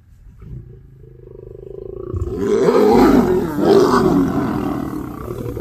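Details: Snarling lion from a pride on safari in Kenya, close up: a low growl swelling into a loud, harsh, rasping snarl that peaks midway, briefly eases, then surges again before fading.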